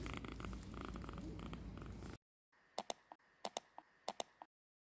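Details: Tiny kitten with a really loud purr: about two seconds of steady, low, rumbling purring, then near silence broken by soft, sharp clicks.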